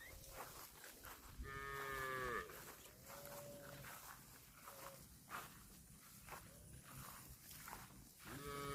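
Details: Cattle eating grass; several harmonic moos of varying length, one long bellow near the start, shorter moos after it and another at the end, over a steady low background of munching and rustling.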